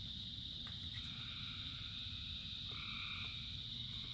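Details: Frogs calling through rainfall. A bright, continuous trill dominates, while a couple of softer, longer lower croaks drift in over a low, constant rain rumble.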